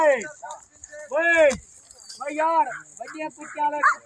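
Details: Village dog on 6 May giving a run of harmonic, arching barks and yelps, several quick ones close together, with a voice speaking nearby.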